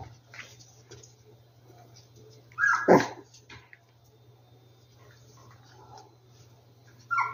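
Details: Rescued dogs at their hideout; one short, loud, harmonic whimpering yelp rises and falls near the middle, with a faint higher whine at the end over a low steady hum and quiet background rustling.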